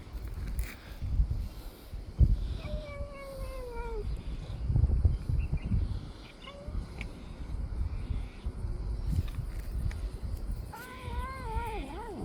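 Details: Domestic cat purring while eating, heard as a low, steady, pulsing rumble throughout, broken by two drawn-out, falling, meow-like cries, one early and one near the end.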